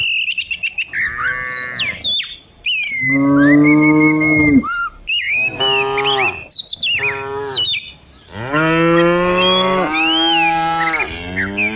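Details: Dozens of cows herded down a hill in the morning in the Indonesian countryside moo loudly in turn. Their long, rich harmonic lowing calls swell and bend in pitch and overlap, with faint insects or birds behind.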